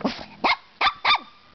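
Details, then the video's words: A six-month-old Brussels Griffon puppy, playful, barking at the camera indoors: three sharp high yaps in quick succession about half a second apart, after a brief growly start. "barking at camera"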